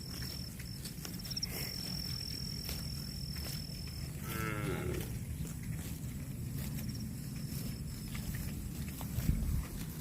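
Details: Cattle grazing on grass give one short harmonic moo near the middle, sliding downward in pitch, over a steady low rumble of wind and chewing, with a thin high whistling tone in the background.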